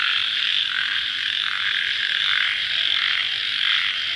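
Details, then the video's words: Crickets calling at night just after rain: a dense, steady high buzzing chorus that swells and dips in a regular pulse about every 0.7 seconds, with no other clear sounds. "Suara Jangkrik Dimalam Hari Sesaat Setelah Hujan"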